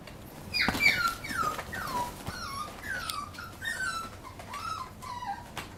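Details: Papillon puppy giving a run of about ten high, thin whimpering yips, each sliding downward in pitch, close together over several seconds in a quiet room.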